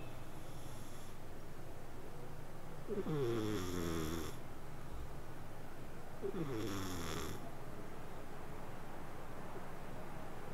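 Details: Snores from a sleeping cat: two evenly spaced raspy, harmonic breaths about three seconds apart, each gliding downward in pitch, against a steady low hum.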